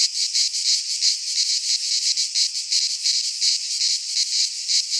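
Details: Greek cicadas in midsummer pine woodland produce a loud, grating buzz that swells and fades in quick regular waves, around three per second, the only sound present.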